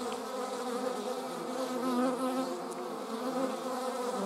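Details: Flying German wasps produce a continuous, even humming buzz with stacked tones, holding a steady pitch and loudness throughout as several insects hover nearby.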